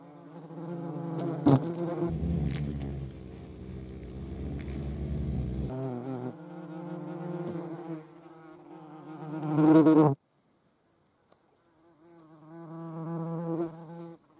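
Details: In the Eifel, a European hornet's deep, droning wing buzz swells and fades as it flies close by.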